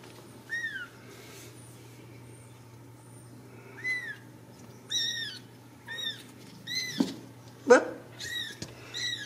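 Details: Several Ragdoll kittens from a home cattery in central Kansas, no cages, giving thin high-pitched arching mews in scattered bursts, some overlapping, with brief human speech in a quiet room.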